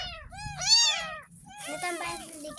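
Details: Ten-day-old kitten found in a roadside drain, meowing during its first bath: two thin, high, arching mews, then splashing water and a girl speaking softly.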